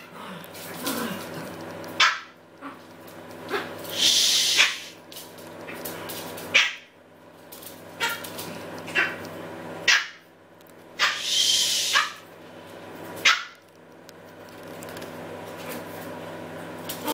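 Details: Pet Maltese dog barking noisily, giving short sharp barks every one to two seconds, sometimes in quick pairs, across the whole recording, with bursts of hissing noise in between.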